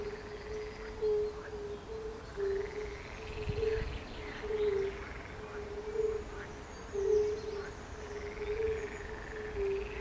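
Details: Fire-bellied toads and frogs calling at the pond beside the palace in Bukowiec near Jelenia Góra, Rudawy Janowickie, Western Sudetes, 20 May 2019: a steady chain of soft, low, mellow 'oop' notes, roughly two per second, with fainter croaks and bird song above.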